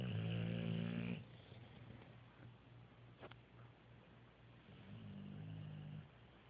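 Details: Sleeping dogs, three together indoors: a low, buzzy snore lasting about a second, a quiet breathing gap, then a softer, steady snore around five to six seconds in.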